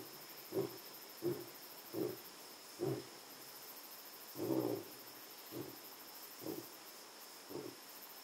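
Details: At Jejane private nature reserve in South Africa, a lion gives deep, breathy roaring grunts about every second, with one longer, fuller call midway.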